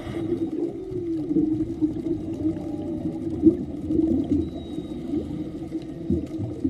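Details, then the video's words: Male whale song heard underwater during an afternoon scuba dive off Maui, Hawaii, audible throughout the dive; faint drawn-out moans and rising tones over bubbling diver noise and water rush. "and you guys could hear the whale singing like the whole time oh they're so beautiful"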